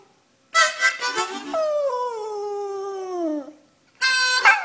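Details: Pet dog howling along with its owner's harmonica blues; harmonica chords, then one long sliding howl falling gradually over about two seconds, then harmonica resumes.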